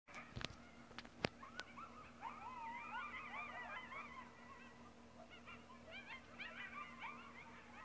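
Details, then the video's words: A coyote pack in Sonora, California, yips and howls together in a chorus of quavering, rising and falling notes. "Coyote pack yipping (audio only)"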